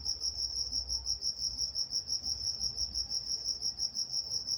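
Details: High, rhythmic cricket chirping at night in Walnut, California, evenly pulsed around three times per second, with soft low hum beneath.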